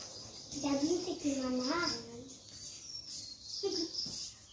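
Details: A young goat with a village girl lets out a drawn-out, trembling bleat that dips and rises for over a second, then a brief second cry, with a constant high insect drone behind.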